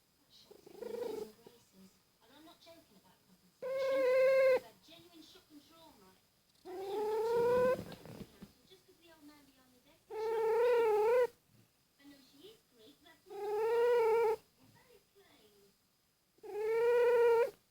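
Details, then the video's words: Domestic cat snoring loudly: regular nasal, whining snores with a buzzy harmonic tone, each about a second long, repeating roughly every three seconds, alternating with quieter rattling breaths in between. "Incredible Snoring Cat"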